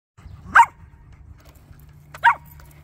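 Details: A Cavalier King Charles Spaniel chasing a car gives two sharp, separate barks over a low rumbling hum.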